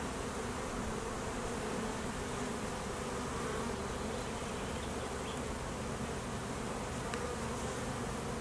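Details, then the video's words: Apiary honey bees in high summer nectar flow, with foragers and midday drone mating flights; an even, unbroken hum of countless wings, steady in loudness throughout, with a faint tick near the end. "Honey bees working hard in high nectar flow"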